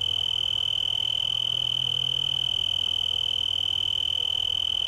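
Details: A male tree cricket (Oecanthus sp.) sings a steady, high, ringing trill that never breaks, from a yucca leaf in Garden of the Gods park, Colorado Springs, Colorado, USA, on September 24, 2015.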